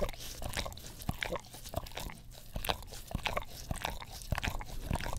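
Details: English Cream Golden Retriever indoors, licking an Orapup tongue cleaner brush next to a Blue Yeti stereo microphone; dense wet smacking and clicking tongue strokes, several per second, irregular, with brief quieter gaps between bursts.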